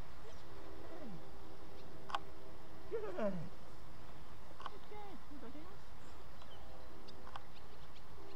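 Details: German Shepherd puppy during its first training session; a few scattered, thin whines that swoop down and up, separated by pauses, over a steady low hum.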